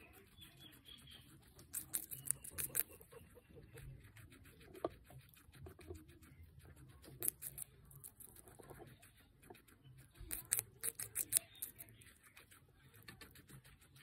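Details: Guinea pig Pancake feeding on capsicum: three separate bursts of loud, crisp crunching around two, seven and eleven seconds, separated by quiet chewing and low room hum.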